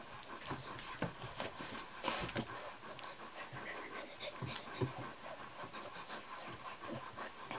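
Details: Kuvasz puppies at 38 days old, from the litter of Armani Niclas vom Crystal Diamonds and Arika Majna-menti Mákvirág, recorded 21 July 2014; soft, rapid panting broken by brief clicks and rustles over a steady background hiss.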